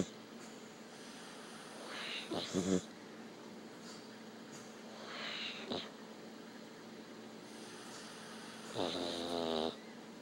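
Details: A dog snoring indoors, with three raspy, rumbling snores spaced about three seconds apart. Each one swells briefly and then drops back to quiet breathing and faint room noise.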